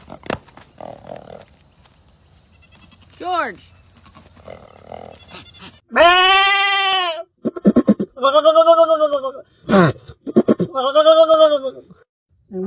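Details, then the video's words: Goat in the quiet mountains bleating after some human speech early on: one long quavering bleat, then several shorter bleats broken into quick pulses, mixed with clicks and voices. "Very funny goat sound from the quiet mountains native nature"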